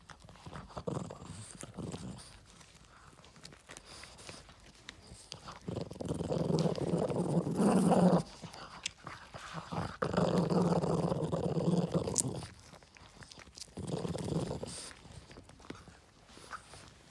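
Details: Yoda, a Boston Terrier receiving a treat, gives several low rumbling growls in bursts of two to three seconds, separated by quieter gaps with chewing-like clicks and small indoor noises.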